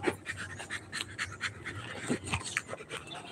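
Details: Rottweiler panting during play, quick broadband breathy pulses repeating roughly every quarter second, with a brief spoken word near the end.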